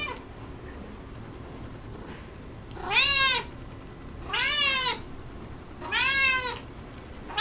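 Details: Domestic cat Coco, busy with cat grass indoors, meows three times at steady intervals of roughly one and a half seconds, each call arched and harmonic-rich, rising then falling.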